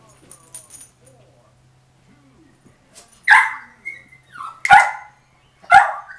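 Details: Foster puppy howling while getting used to being in a crate, heard in the background: short harsh yelps with a sliding whine between them, several outbursts over about three seconds after quieter scuffling.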